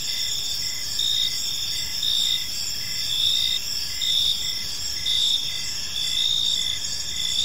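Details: Evening park chorus of crickets, high shrill chirps pulsing in bursts roughly once per second over a constant ringing drone, many insects calling together with no other clear sounds.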